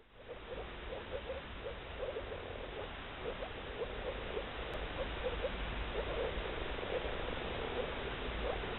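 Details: Moor frogs, males in blue nuptial coloration, calling as a chorus: short, soft, bubbling notes overlap at a fast, uneven rate throughout, over a steady low rumble.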